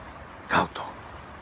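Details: Belgian Malinois puppy, 2.5 months old, in Reșița, Romania: one short, sharp bark followed by a softer second yelp, over quiet background hiss.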